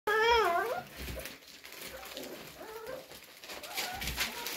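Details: Cocker spaniel puppies whining to be let out: a high, wavering whine that starts loud and fades within a second, then softer rising whimpers in a small room.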